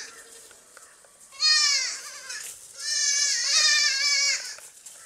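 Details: Baby goats playing and jumping on a farm: two loud, wavering bleats, the first short and the second longer and quavering, rich in harmonics, with faint scuffling between.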